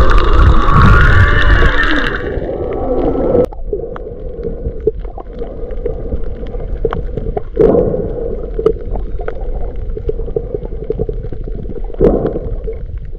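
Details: Humpback whales underwater near Maui, February 2023, alongside fish: an opening loud harmonic cry with a low rumble, then a sustained mid-pitched hum through faint crackle, broken by sharp clicks and pops.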